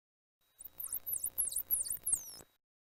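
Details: A bottlenose dolphin underwater gives a rapid series of high, swooping whistles that dip and rise in pitch, its typical whistle.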